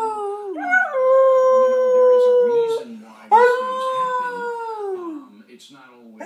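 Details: Shredder, a new pet dog, howls along with a person imitating a howl: a wavering start, a long level tone, then a second rising-and-falling howl trailing into quiet whimpers, low human howling audible throughout.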